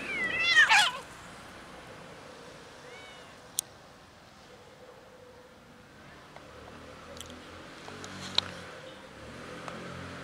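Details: Fluffy kitten living on the street gives one loud, rising-then-falling meow in the first second, followed by quiet outdoor background with a few faint clicks.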